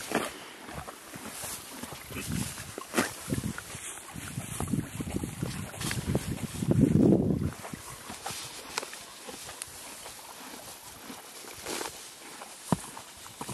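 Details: Billy, a horse, eats green grass at a creek, with rapid uneven crunching and ripping bites, a louder low rustling surge midway, and constant gentle creek water behind.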